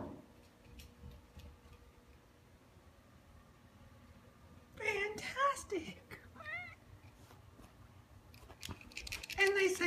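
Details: Tabby cat a little over a year old, playing fetch indoors with a favourite toy fish; several rising-falling wavering meows around the middle and end of the clip, mixed with a woman's voice praising her.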